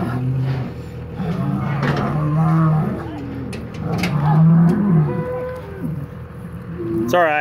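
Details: Polled Hereford bull of the Secret Weapon bloodline, fighting while being mixed back with another bull after the breeding season; low, drawn-out moos and rumbling bellows overlap, with scuffling and a man speaking briefly near the end.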